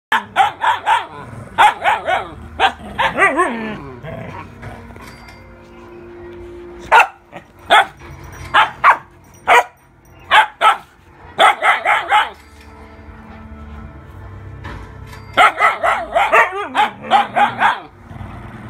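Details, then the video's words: Two Siberian huskies scold another dog for stealing a small husky's binky, loud harmonic barks and yowling howls coming in rapid clustered bursts separated by short quiet gaps, some calls sliding downward in pitch. "Dog Gets Yelled at by Two Huskies for Stealing"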